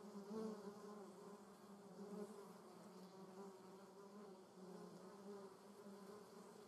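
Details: Several German yellowjackets (Vespula germanica) at the nest produce a continuous low droning buzz, layered wingbeat hums sliding slightly up and down, with a louder pass near the start and another around two seconds.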